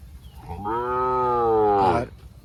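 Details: Sahiwal bull calling at a farm package sale in Birampur, Dinajpur: one sustained, steady moo of about a second and a half, rich in harmonics, ending in a slight rise, with low background rumble.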